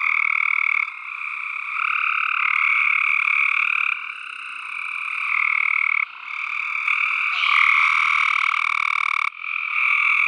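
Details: Tree frog chorus of fast, rattling pulsed calls stacked in two bright bands. Several callers overlap so the sound barely pauses, with brief dips in loudness near one, four and six seconds.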